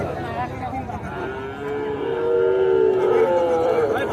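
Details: Sahiwal bull calves at the Aftabganj cattle market in Nawabganj, Dinajpur, Bangladesh, on 8 October 2024. A drawn-out, mid-pitched harmonic moo swells in the second half over steady crowd chatter and market voices.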